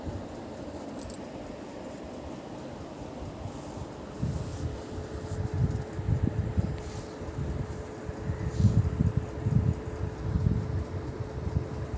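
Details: Steady fan hum and low rumbling in a small room, with faint rustling and no animal voice.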